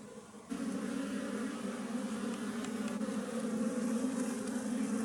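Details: Western honey bees from a wild colony in a honey tree, a loud droning buzz that swells in suddenly after half a second and holds steady, slightly rising in volume toward the end.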